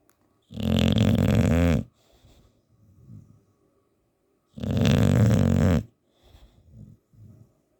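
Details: Sleeping English Bulldog named Teddy snoring his head off, two heavy, gravelly inhaled snores about four seconds apart, each lasting over a second, separated by soft wheezy breaths.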